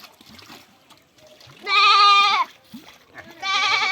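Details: Goat being treated for lice gives a loud, strained bleat with a wavering tone, followed by a second rising bleat, among splashing and quiet human voices.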